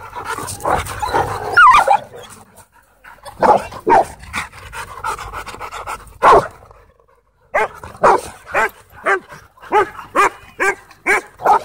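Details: Husky playing with other dogs at a dog park; mixed yelps and growly vocal sounds early on, then a run of short evenly spaced barks repeated about every half second toward the end.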